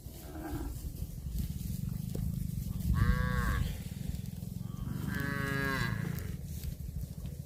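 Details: Cattle eating grass give two drawn-out harmonic moos, a shorter one about three seconds in and a longer, wavering one near five seconds, over a steady low rumble.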